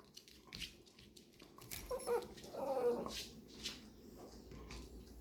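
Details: Labrador retriever puppies indoors, getting to know strange noises: a short whining, whimpering call around the middle, with soft rustling and scuffling before and after.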